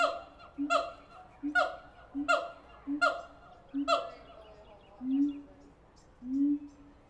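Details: Siamangs in captivity at the Tulsa Zoo: a run of sharp honking barks roughly every 0.7 seconds, then two lower, drawn-out rising hoots.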